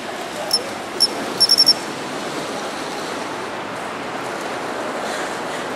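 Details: Pine cricket calling from a planted bed in town during September: two separate bright, high tinkling chirps, then a fast cluster of four ringing notes, with continuous background traffic rumble.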